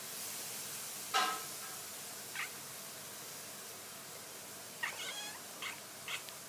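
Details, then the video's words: Domestic cat making odd short sounds: a sharp harmonic chirp near the start, then several brief chattering chirps and squeaks spaced a second or so apart over a faint steady hiss. "some weird cat sounds"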